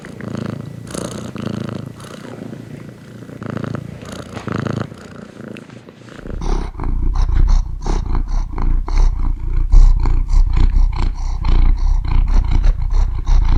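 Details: Domestic cat purring: a soft, breathy rumble for the first six seconds, then a louder, close, deep pulsing purr with rapid regular throbs.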